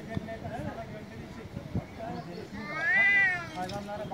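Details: Street cats in Istanbul, Turkey, males meowing loudly; murmured background noise and low rumble fill the first half, then one strong arched meow rises and falls before a softer trailing note.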